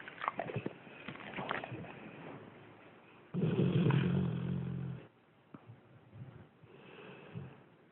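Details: Pet dog asleep and snoring: soft breathy snores give way to a loud, voiced, rumbling snore lasting nearly two seconds mid-way, then quieter rasps resume.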